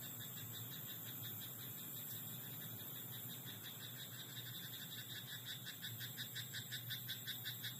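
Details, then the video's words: Night in a rice paddy, where a frog's rapid croaks, about three pulses a second, grow louder and more regular toward the end over a constant high-pitched background drone. "田んぼのカエル "Croaking frog in rice paddy at night""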